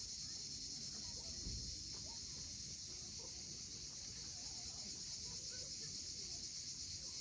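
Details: Cicadas calling at sunset on the steep coast of Cape Fiolent, Crimea, beside waves and various birds; a steady, dense high buzzing hiss runs unbroken throughout, with soft low surf rumble and faint scattered bird notes beneath.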